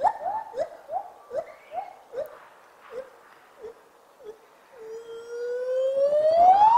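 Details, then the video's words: A gibbon sings in the morning, a run of short, clear hooting notes, then one long whoop that climbs steadily higher. "Gibbons Gesang am Morgen Gibbon Singing"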